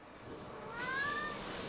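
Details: Female Siamese cat answering questions from its owner at home, giving a single short, rising then level meow near the end, with low room noise and the owner talking around it.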